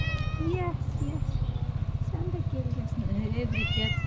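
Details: Hungry black-and-white tuxedo cat with a black nose meowing loudly for food: several drawn-out, wavering meows, the last rising and falling strongly, over a steady low rumbling hum.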